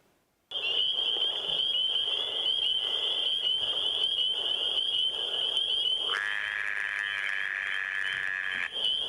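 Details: A Fowler's toad (Anaxyrus fowleri), caught outside around 10 pm, calls with a steady, high, nasal buzz that drops abruptly to a lower buzzing tone.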